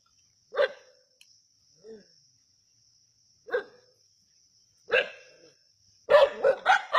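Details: At Keeladi, native dogs hunting a snake give spaced single barks, then a fast volley of four or five rough barks at the end, with a steady high hum in the background.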